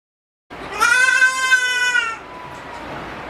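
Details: Farm goat kept at Yoshigake Ranch in Japan, recorded 16 February 2020, giving one long, loud nasal bleat of about a second and a half with a slight quaver, trailing off into quiet background.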